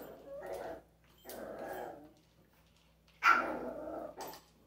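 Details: A pet dog with an interactive toy makes drawn-out, grumbling growls twice, then a sudden loud bark followed by a short yip, indoors with no other sounds.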